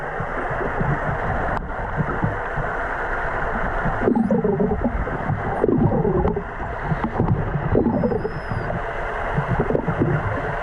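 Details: Underwater in Faroese waters, two female killer whales hunting an eider duck give a few short, curving, moaning calls every second or two, with thin high whistles above and steady rushing water noise.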